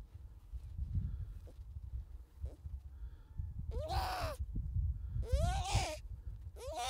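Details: Harp seal pup giving three harsh, bleating cries, each arching up then sliding down, in the second half after several seconds of low wind rumble and faint noises.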